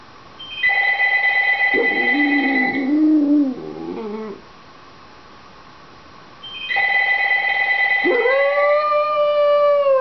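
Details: Penny the Dachshund, indoors, howls when the phone rings and wants it answered. A telephone rings twice. After the first ring comes a wavering, whining howl. After the second she gives a long, rising howl.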